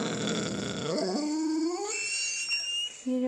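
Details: Pet dog indoors, recorded February 7, 2013, objecting to a singing toy fish: a drawn-out whining howl that rises in pitch and then holds steady, with faint tonal sounds in the background.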